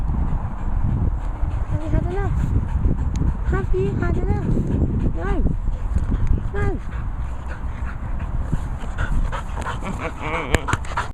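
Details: A dog at a training and boarding kennels in the Worcestershire countryside gives a run of high, arching whines and short yelps, several in quick succession, over constant low rumbling noise and a person talking.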